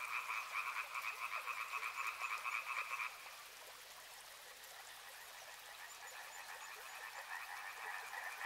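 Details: Frogs calling by a river, a loud rapid croaking chorus for three seconds, then a sudden drop to a softer, more distant chorus that swells again toward the end.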